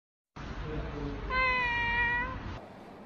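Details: Local cat near a home giving a single drawn-out meow, steady then slightly falling, preceded by faint low murmurs and background hum.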